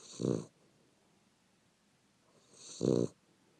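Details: Sleeping dog snoring softly, described as a cute snore: two short, low rasping breaths about two and a half seconds apart, with quiet stillness between.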